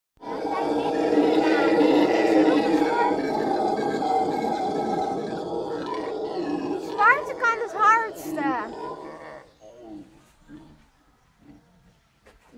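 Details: Howler monkey howling: a loud, dense, droning roar held for about six seconds, followed by shorter broken calls and warbling bird-like whistles that fade out toward the end.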